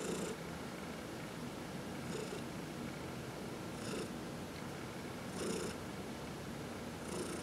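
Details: Domestic cat purring while being massaged, one of four pet cats indoors; a steady low rumbling purr with breathy bursts recurring roughly every one and a half seconds.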